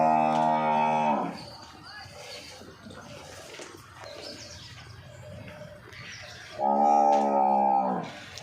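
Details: Banni-breed water buffalo, seven months along and in its second calving, offered for sale; two long, low harmonic moos of about a second each open and close the recording, with a man talking in between.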